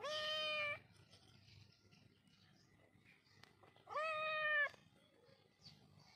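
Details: A rescued kitten, found injured at a roadside and unable to walk, gives two clear, strained meows roughly three seconds apart, each about three-quarters of a second long, over a quiet indoor background.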